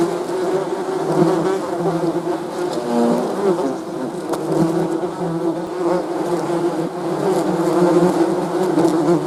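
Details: Bees in chorus give a continuous, rich low buzz with overlapping wingbeat tones, a short pitch wobble around the middle, otherwise even and constant.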